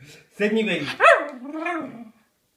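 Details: Two pet dogs, Peggy and Iris, begging for food indoors: a single drawn-out, whining, harmonic vocal lasting under two seconds, rising sharply to a yelp-like peak in the middle, then sliding down into a lower, fading moan.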